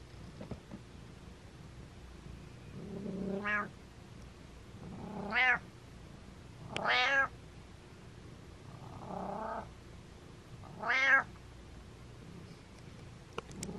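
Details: Rapid run of meows from Butters the pet cat: about six meows of varying length and loudness, some rising and falling, one softer and muffled, spread irregularly over the stretch indoors.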